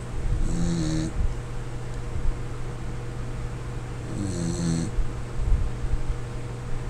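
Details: Corgi Lin Xiaolang in deep sleep, giving two heavy rattling snores nearly four seconds apart, low and buzzy with a hissing edge, while a faint mechanical hum runs underneath.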